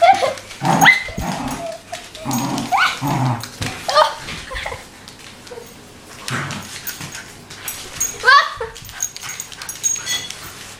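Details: One-year-old wire haired fox terrier playing with its owner: sharp barks and yips in short bursts, a few whimpering rises, with human speech between them in a small room.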